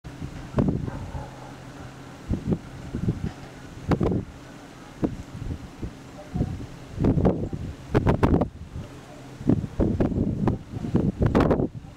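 Wind buffeting the microphone with low rumbling thuds and a steady mechanical hum; no animal voices.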